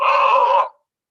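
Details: A Tasmanian devil in Tasmania gives a single harsh, raspy screech lasting under a second, then stops abruptly; it is heard before it is seen.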